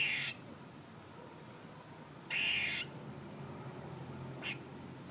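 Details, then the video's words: A squirrel lets out two grating, buzzy bursts about two seconds apart, followed by a couple of brief sharp chips, with low background hiss. "A squirrel making noises"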